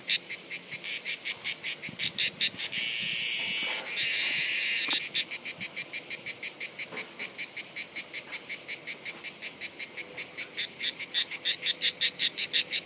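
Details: Cicadas singing during reproduction in Bollène, France, on 7 July 2015, in harsh, high rasping pulses, several per second, with one brief unbroken buzz.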